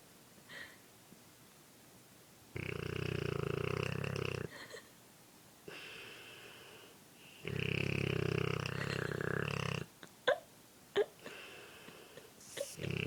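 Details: Sleeping Dogue de Bordeaux resting on a shoulder, snoring: two long, loud rumbling snores of about two seconds each with a gravelly buzz, then softer snuffles and short breathy sounds.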